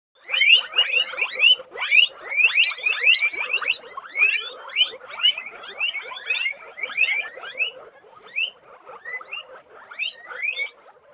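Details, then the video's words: Several guinea pigs in a dense chorus of rising, whistled squeaks with bright overtones, overlapping quickly at roughly two per second, some notes sweeping upward sharply; loudness surges and dips in waves, with no other sounds. "Sonido de Cuyes"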